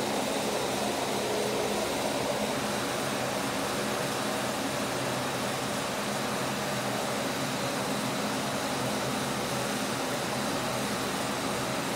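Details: Steady mechanical whir like a fan or air conditioner runs throughout, a constant broadband hum with no animal voice.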